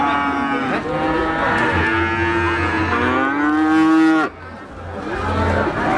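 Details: At a busy cattle market in Siyono, Gunung Kidul, Yogyakarta, Indonesia, Java cattle call with a drawn-out harmonic moo that rises in loudness then stops abruptly, followed by quieter crowd noise and voices.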